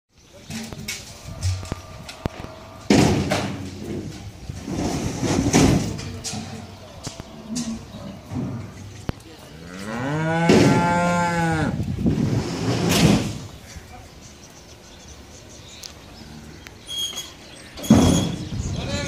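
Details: Cattle, a calf and bulls, at a farm ahead of Eid ul Adha 2019: one long drawn-out moo with a rising then falling tone, between human voices talking and scattered knocks.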